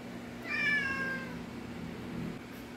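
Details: Domestic cat, one of three that like head massages and lounging on a bed, gives a single short, slightly falling meow lasting about a second over steady low household hum.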